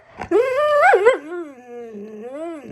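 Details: Wulf, a pet husky malamute, answers while scolded for harassing Felix: one long, loud, wavering whine that climbs, breaks upward, then drops into a lower drawn-out moan rising again at the end, indoors.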